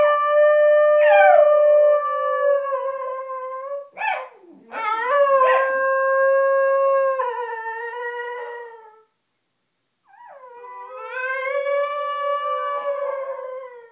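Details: Basenjis singing their song from under blanket covers indoors: long, tonal, yodel-like howls with rich harmonics, swooping and wavering notes, a brief pause, then another rising and falling howl.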